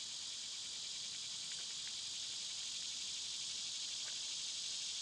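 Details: Summer cicada chorus: a dense, shrill, continuous drone with a faintly rapid pulse, joined by scattered brief high ticks and chirps from other small callers.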